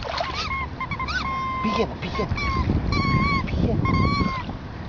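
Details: Emo the cocker spaniel at the seashore on a first visit, urged in Greek to fetch a stick. Strained, wavering whines rise and dip, a few drawn out, over steady water noise and voices.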